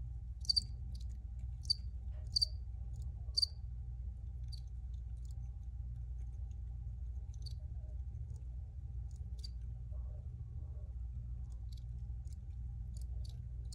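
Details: Originally recorded crickets: a burst of bright, sharp chirps in the first few seconds, then sparser and fainter chirping over a constant low droning hum.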